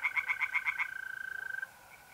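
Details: Tree frogs singing by a pond on a mid-April night in north-east Italy; a rapid run of pulsed croaks, about seven per second, fills the first second, then a steady high trill of mole crickets carries on alone.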